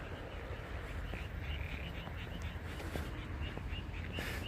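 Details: A frog chorus gives short, bright croaking notes in quick, overlapping succession over a low rumble, along a river in Asahikawa, Hokkaido, Japan, on a quiet Sunday night.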